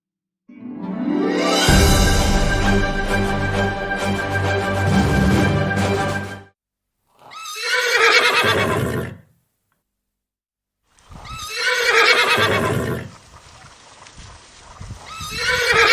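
A horse gives two loud, quavering whinnies after a short burst of music.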